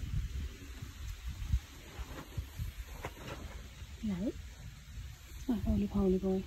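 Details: Fred, a Maine Coon cat, trills in surprise after being made to jump: a quick rising chirp near the four-second mark, then short harmonic trilling notes at the end, in a quiet room after a person's softly spoken words.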